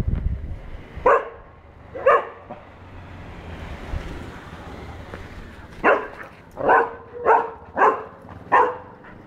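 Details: A four-month-old golden retriever pup meets a cow for the first time and chases it: two spaced barks early, a lull, then a run of five bright, evenly paced barks closing the recording.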